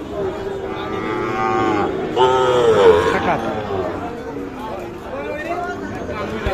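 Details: Sahiwal calves at the traditional Ambari cattle market in Dinajpur, Bangladesh, 3 January 2025: a long, steady moo, then a second, louder bellowing moo with a wavering pitch, while people talk and the crowd murmurs nearby.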